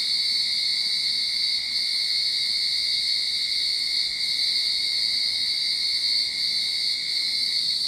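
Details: Cicadas in a Sydney backyard at the start of summer sing a steady, high-pitched electric drone that holds unbroken without pause or change.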